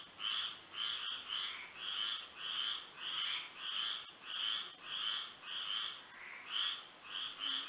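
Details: Night frog chorus in Florida by moonlight, many callers giving short grating bursts roughly every half second in an uneven rhythm over a constant thin, high whine.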